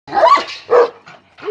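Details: Purebred panter-line Kangal, a wolf-hunting guard dog, reacting to a wolf: two hoarse, loud barks in quick succession, the second shorter, then a fainter yelp-like trailing note.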